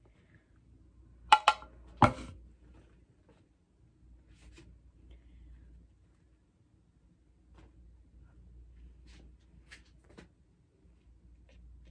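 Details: A quiet indoor room with a few sharp clinks and taps, with no animal voice heard.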